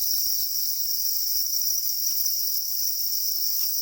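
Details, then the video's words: Black crickets, described as calling angrily while guarding their eggs: a steady, unbroken high-pitched shrill buzzing holds throughout, with no pauses or rhythm changes and only faint low background rustle. "Black crickets or para crickets are crying angrily for their eggs"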